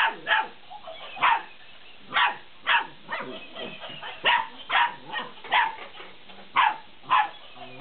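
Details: Fifty-day-old Belgian Malinois puppies yap excitedly while playing with a laughing cat toy, around a dozen shrill barks spaced irregularly, with soft scuffling and whining in the pauses.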